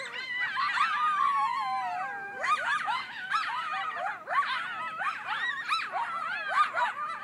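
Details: Griffith Park coyotes in a frantic, loud group chorus that sounds like something being killed: overlapping wailing howls sliding up and down, mixed with sharp yips and squeals, continuous throughout.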